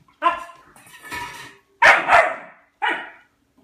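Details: Dog named Albert barking at his food bowl for food, indoors in a small room: three loud, harsh, ringing barks in quick succession, one drawn out.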